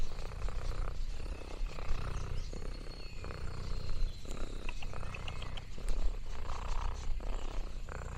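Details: Lexi, an orange tabby cat exploring a farm in the countryside, purring contentedly: a deep, steady rumbling throb that swells and eases with each breath, with faint high thin chirps and soft crinkling in the background.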